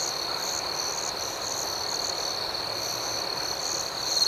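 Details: Crickets chirping through the night in a continuous high-pitched ringing chorus. A wavering, higher buzzing layer rises and falls above it, steady throughout.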